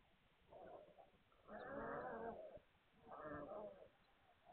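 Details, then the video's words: Hungarian Vizsla puppies recorded 9 March 2021, giving two drawn-out, moaning whines about a second apart, each swelling and fading, with a soft whimper at the start. "Magyar Vizsla Welpen"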